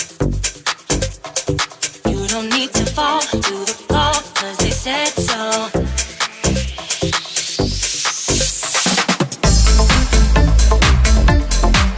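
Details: Upbeat electronic dance music with a steady driving beat, a rising synth sweep, and a fuller, louder section near the end.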